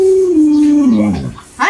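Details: Alaskan Malamute named Luoluo howls at an owner still in bed: a clear, level tone that bends downward into a throaty dip, followed by a brief rising yelp.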